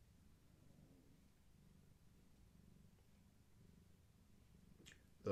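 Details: Soft, continuous purring from Gaia, a long-haired tabby cat heavily pregnant with active kittens: a quiet low rumble with gentle rhythmic pulses, ending in a short sharp noise.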